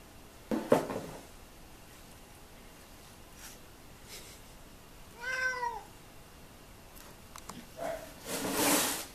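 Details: One of two 16-year-old pet cats, Rozi and Simi, gives a single clear, arched meow in the middle of the clip, rising then falling. Brief knocks and rustling come before it, and a burst of broadband noise follows.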